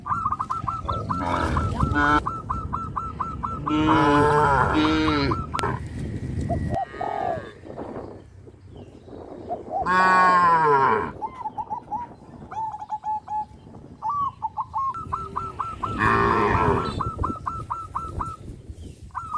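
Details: Several drawn-out, rich moos from cows on a traditional village farm as they jump onto the road, over a steady run of quick, repeated, high chirping notes.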